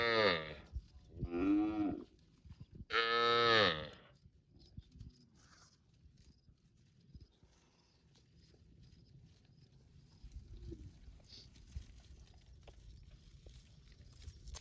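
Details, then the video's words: Cow mooing in a park, three loud harmonic moos in the first four seconds, the last longest and strongest, followed by quieter rustling and low background noise with a faint steady high tone. "cute and Funny Cows sound mooing in the park"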